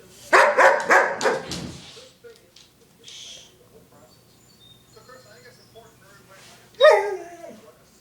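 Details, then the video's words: Female pet dog giving demanding barks, a rapid run of about five sharp, loud barks in under two seconds, then quiet, and a human voice near the end. "Demanding Dog"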